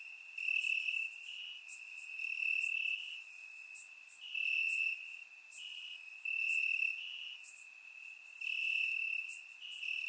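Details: Crickets chirping in the grass on a warm summer night in Bulgaria, surround microphone: a steady high trill with louder pulses swelling about every one and a half seconds, several insects overlapping in a dense chorus.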